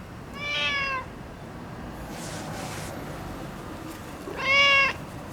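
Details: Orange tabby boss cat, neutered and seeking affection: two meows about four seconds apart, the second louder and sharper, with a soft rustle in between.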